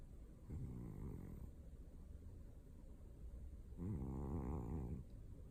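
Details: Pet cat asleep and snoring indoors, two rough, vibrating low snores a few seconds apart, each about a second long, with quiet breathing noise between them.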